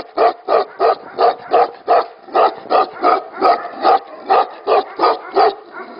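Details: Tibetan Mastiff at a mastiff factory barking in a steady series, deep, full-bodied woofs repeating about every third of a second, evenly spaced with short gaps, no other sounds clear.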